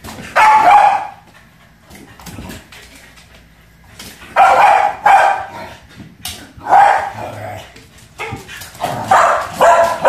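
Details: Two Pembroke Welsh Corgis playing with a balloon indoors; loud, drawn-out excited barks and yelps in bursts of about a second, repeated four or five times with short pauses between.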